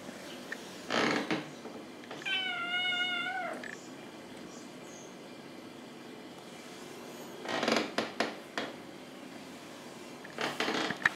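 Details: Stray cat living on the street giving one drawn-out, tonal meow with level harmonics, lasting over a second, between bursts of broadband rustling or handling noise.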